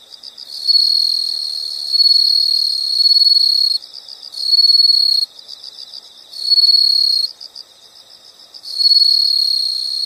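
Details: Nature sound of insects, with long rasping high trills lasting one to three seconds, alternating with quieter rapid pulsed chirping in between, all high-pitched and continuous.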